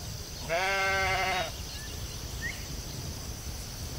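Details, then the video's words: Single sheep out in the field letting out one clear, nasal, quavering bleat of about one second, followed by a low background rumble and a steady hiss. "Cute sheep"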